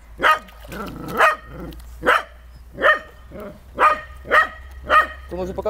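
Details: Dog enjoying water play barks in evenly spaced single bursts, roughly one each second, ending in a short, rapid yip.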